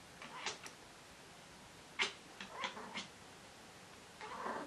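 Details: Pet cat making an odd sound while hunting: short, sharp chirping and chattering bursts in quick clusters, a few brief squeaky notes, then a longer low whining call at the end, indoors with quiet background.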